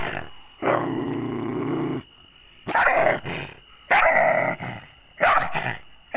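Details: Angry dog producing a sustained rough snarl, then a series of loud, gruff barks spaced roughly one second apart, harsh and noisy.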